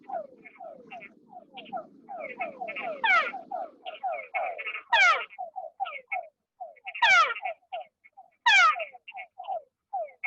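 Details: Frog calling in only 0.25 cm of water, legs and belly touching the floor, in a study of how water depth changes the call; rapid series of short, downward-sliding notes, several louder sweeping trills mixed in, some low water noise early.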